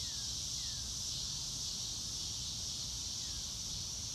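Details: Crickets on a sunny blue-sky day, no music: a steady, shrill insect chorus fills the whole stretch, with two or three faint sliding whistles near the start and end and a soft low rumble underneath.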